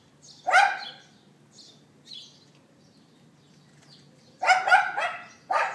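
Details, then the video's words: Yapping dog of a neighbour, left outdoors, captured by iPhone 4S on April 18th 2012 near 11:31 AM; one loud bark early, a quiet stretch with small chirps, then a burst of three rapid barks. "Dog Yapping"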